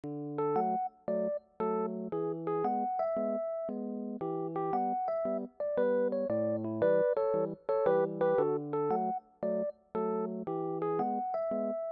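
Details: Electric piano music plays a bouncy, repeated melody of short chords and notes with brief pauses, and no animal sound is heard.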